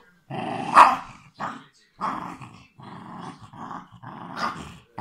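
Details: West Highland White Terrier giving a deep, raspy growl in a rough run of bursts, one louder snarling peak early, then shorter rumbling phrases separated by brief silences, indoors.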